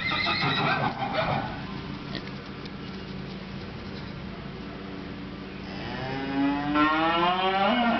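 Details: Little donkey foal playing and running around with its mother donkey; near the end a long, loud harmonic call sweeps in and tails off, heard over steady background music with scattered short chirps earlier.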